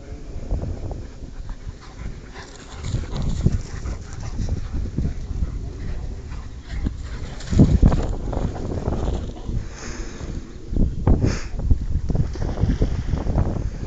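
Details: A Rottweiler dog gives low whimpers and panting breaths in irregular bursts, with some human speech and background rumble mixed in.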